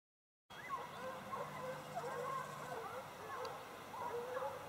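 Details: A pack of hounds in full cry, hunting bushpig, with several overlapping drawn-out bays and yelps wavering in pitch and sounding at a distance. Steady background hiss throughout.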